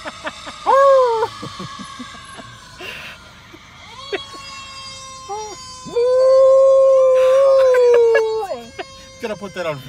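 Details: Pet dog howling along to a passing fire truck siren; long wavering tonal howls, one near the start and a longer sustained one later, set against the steady wail of the siren.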